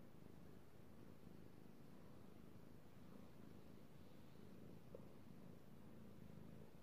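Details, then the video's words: Male house cat purring during petting indoors: an even, low, throaty rumble running unbroken, with a tiny click near the end. "ASMR Cat Purring"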